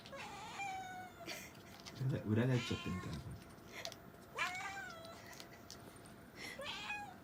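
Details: Pet cat Mami meows several times in short, rising-then-falling cries while a person talks quietly over the middle part of the recording.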